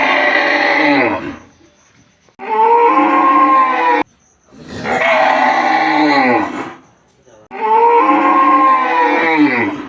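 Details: A cow (Bos taurus) in a village gives four loud, drawn-out moos, each falling slightly in pitch before trailing off.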